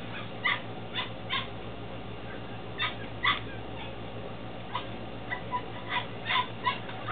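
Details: Belgian Malinois Shepherd puppies at 10 weeks, Williston, Florida, litter born 2-16-2015: scattered short high yips and squeaky whimpers at uneven gaps, with a constant low mechanical hum beneath.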